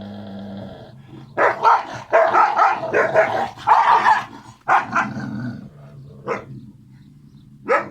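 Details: Kangal puppies, two siblings together, loud and playful: rough growling and harsh barks in irregular bursts for several seconds, followed by a few sharper single yaps.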